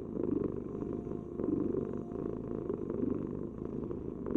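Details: Domestic cat purring steadily, a low rumbling vibration that swells and eases in soft pulses roughly once a second, close and continuous with no other sounds.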